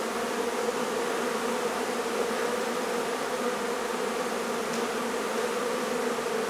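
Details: Honey bee hive in a barn at La Feria, Texas, disturbed during removal and relocation. A thick, constant hum of many bees, with a faint tick near the end.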